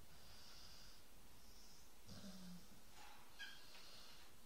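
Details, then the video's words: A dog snores in a quiet room, a run of soft, breathy rasps about every half second to second, one carrying a short low snort in the middle of the run. "Snoring dog"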